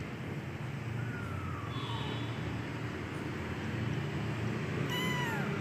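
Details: Medium-type Persian kitten giving two thin, high meows, the first a falling slide, the last sharper and richly harmonic, set against a constant low engine-like rumble.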